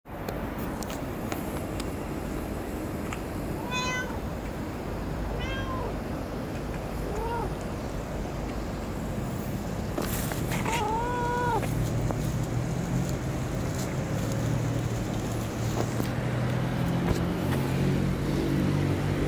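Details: Cat at Dockyard Garden, recorded 11 May 2017 around six in the morning: four clear, tonal meows spaced a few seconds apart, each rising then falling, over loud constant urban rumble and traffic-like noise.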